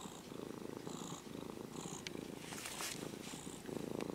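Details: Stroked by hand, a former stray kitten with brown-and-white fur purrs in a continuous buzzing rumble, in breathing cycles of about a second, with light rubbing and rustling noises over it.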